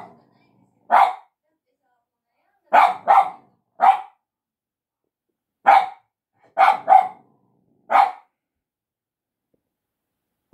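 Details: Dog barks aimed at a person, with a Shiba Inu and a Yorkshire Terrier tagged: single and doubled sharp barks spaced irregularly, roughly one burst every second or two across ten seconds, with quiet gaps between.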